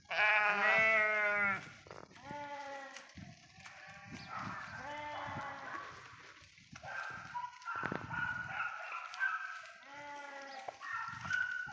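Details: Several sheep grazing in a forest bleat repeatedly. A loud, long, quavering bleat opens the sequence, followed by shorter overlapping bleats from different animals, some higher and some lower, with brief pauses and scattered clicks between.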